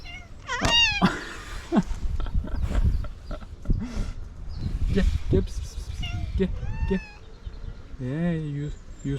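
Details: Angry domestic cat, upset with another cat, lets out repeated rising and falling meows and cries throughout. They overlap a person's coaxing speech and handling noises, and the clip ends on a lower, drawn-out wail.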